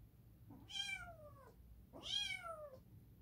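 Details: Two long, strained meows from Edgar the cat, each opening with a short rising note and sliding down at the end, voiced loudly against a quiet indoor background.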